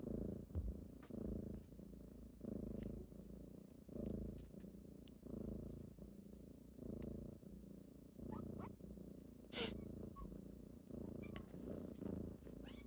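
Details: Morning purring of kittens waking a person up: a low, rhythmic rumble rising and easing with each breath over many cycles, plus scattered clicks and a short rustle.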